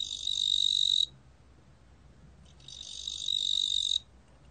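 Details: Two sustained, shrill buzzing trills from a 뚱보귀뚜라미 cricket, each about a second long and separated by roughly a second and a half of near silence, with only faint low rumble between them.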